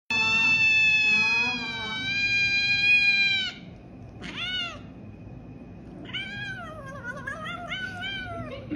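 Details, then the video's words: Domestic cat crying with long, drawn-out meows, first a sustained loud wail, then shorter rising and falling, wavering cries, over a low steady background hum. "Crying Cat"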